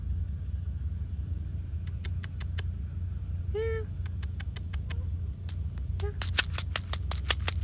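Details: Timid cat being fed and coaxed in Malay gives a single short meow midway and a fainter mew later. Repeated sharp clicks, a low rumbling hum and quiet spoken words surround it.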